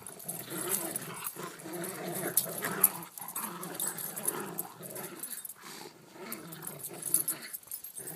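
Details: A Corgi and a Rottweiler growl at each other in rough, rumbling bursts during play-fighting, with scuffling noises between them.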